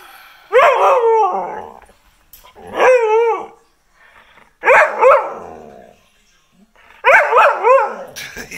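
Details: Domestic dog barking at the camera: four loud, drawn-out, harmonic bark-yowls that waver up and down in pitch, each lasting about a second, coming roughly every two seconds in a quiet room.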